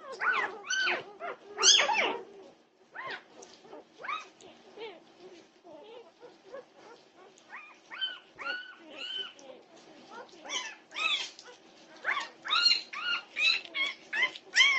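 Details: Several Norwegian Buhund puppies making a racket at 2:30 in the night, June 8, 2021; overlapping shrill whines and squeals pour out almost without pause, loud bursts at the start and end with a softer, busier stretch in the middle.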